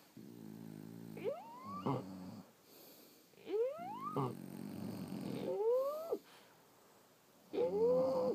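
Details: French Bulldogs asleep, snoring: a low buzzy rattle alternates with whistled nasal tones that rise steeply and break off, in irregular breaths about every two seconds with quiet gaps between.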